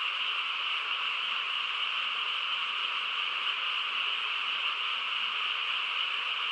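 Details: Night chorus of frogs in the quiet countryside, a thick steady trilling drone of overlapping callers, even in volume with no other sounds.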